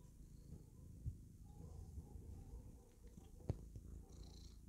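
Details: Domestic cat purring while happily clowning around, a steady low rumble throughout with two soft clicks near one and three and a half seconds.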